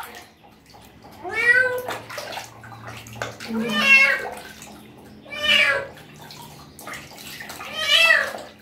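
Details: Meowing of a street cat bathed for the first time: four arching, plaintive cries roughly every two seconds, each swelling then fading, over quiet splashing and a faint voice.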